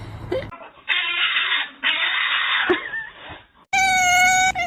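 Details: Domestic cat from a compilation of funny cat scenes, giving long, drawn-out wailing cries in separate bursts with short gaps between them. A different, steady tonal sound follows at the end.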